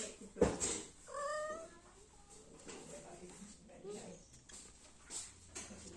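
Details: Kitten, one of two being raised to adulthood, gives a single short, high meow that rises and then falls, about one second in. A sharp click comes just before it, and quiet rustling and faint thumps follow.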